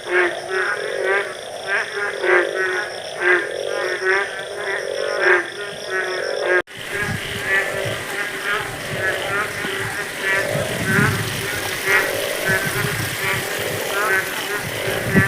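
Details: Frogs calling in the rainy season in the village countryside: rapid runs of short, nasal, harmonic croaks repeated in quick bursts. Partway through, a louder broadband hiss joins, with the croaking continuing over it.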